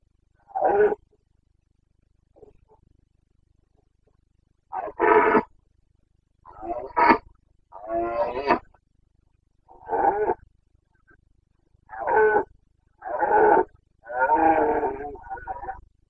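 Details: Carpathian red deer stag bellowing during the breeding season rut in Romania's Bucovina mountains, 29 September 2022; eight or nine loud, gruff roars, each roughly half a second to a second long, repeat steadily every one to two seconds.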